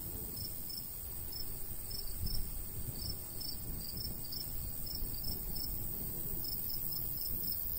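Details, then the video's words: Crickets chirping in a golden wheat field in summer countryside, two overlapping trains of high pulses, somewhat irregular, against noticeable low wind rumble. "Countryside/cricket sounds"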